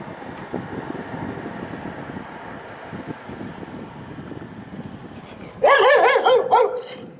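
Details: Dog at a fence, facing another dog behind it after growling at it, with both dogs marking and barking; steady low outdoor rumble for several seconds, then a sudden loud burst of rapid, sharp barks near the end.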